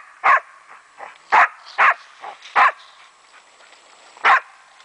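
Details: German wachtelhund barking while playing with a raccoon dog. Sharp, loud barks come at uneven intervals, five strong ones within about four seconds. Softer yips fall between them.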